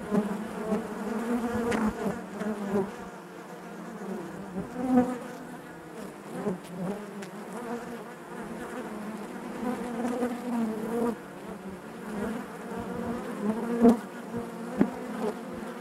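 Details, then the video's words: Continuous buzzing of a honey bee colony inside the hive, a thick wavering drone that ebbs and swells, with scattered short louder buzzes from bees near the recorder. "bees therapy hive natural buzzing sound"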